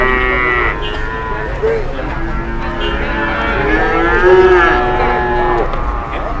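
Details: Cattle at a crowded market: several long, wavering moos overlap, some rising then sinking, over a steady hum of voices and distant noise.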